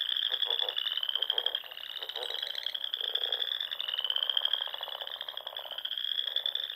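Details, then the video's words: Dusk frog song in the Sandhills of Nebraska during spring; layered high continuous trilling from numerous callers, slightly rising, with fainter lower pulsed croaks mixed beneath. "RELAXING SOUNDS OF FROGS"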